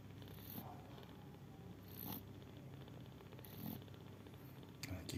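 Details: Sleeping mother cat snoring with low continuous rumbling, broken by a few louder breathy bursts and faint rustling near the end.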